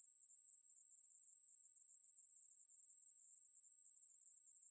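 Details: Ruspolia katydid singing, recorded for the National Institute of Biological Resources in 2020: an intense, sustained high buzz at a constant pitch, uninterrupted and free of any background noise.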